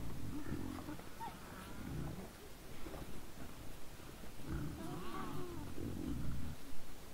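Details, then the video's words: Trail camera at 20:17 on 17 December 2022 catches a group of wild boars close by: low throaty grunts repeated roughly twice a second, with a short high squeal early on and another near five seconds. "Nice sounds of the Wild boars"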